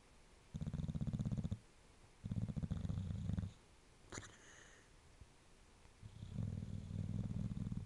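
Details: A sleeping bulldog snoring and percolating: long rumbling low snores about a second each, separated by pauses, with a brief sharp snort-like sound midway.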